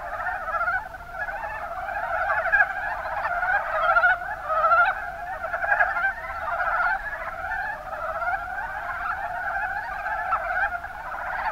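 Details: Massed Mountain brown frogs calling in the Kuma Basin of Kumamoto, Japan, their brief guttural croaks overlapping into a constant rolling chatter with rhythmic surges roughly every second or two.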